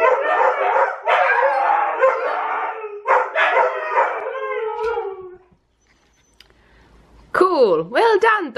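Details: Siberian Huskies indoors howl together with Tonka the Malamute playing on TV: choppy, warbling howls for about five seconds, a brief silence, then a loud swooping howl rising and falling in pitch, with some human voice mixed in.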